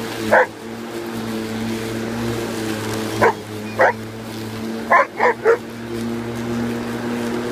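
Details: Alaskan malamute named Kavik going after a lawn mower, giving one bark, a pair of barks mid-clip and a quick burst of three near the end over the constant humming drone of the mower motor.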